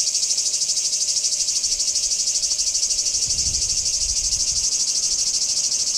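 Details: Continuous high-pitched cicada buzzing from Kardamyli, 2013, beating in rapid even pulses roughly three per second, with a couple of dull low knocks midway.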